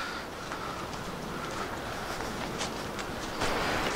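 Steady outdoor rumble with a faint distant hum and scattered clicks, no animal voices.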